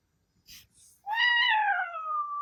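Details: A male Ragdoll cat named Milky, described as talkative and said to howl like a wolf at times, rises into a long steady wailing note with rich overtones after two soft rustles indoors.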